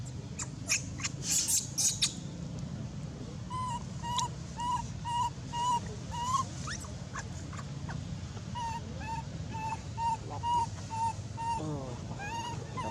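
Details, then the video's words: Loud crying from an abandoned monkey, a steady train of brief, evenly pitched whistled notes repeated roughly twice per second, ending in a quavering wail, after an opening of rustling and clicking noises. "abandoned monkey was crying very loud"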